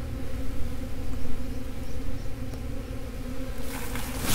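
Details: Honey bee swarm in swarm mode, a continuous low droning hum with layered tones, ending in a burst of broadband noise.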